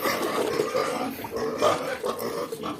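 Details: Native piglets, two weeks old, being fed on a farm, keep up a steady chorus of short tonal squeals and grunts around mid pitch, several overlapping callers clamouring without pause.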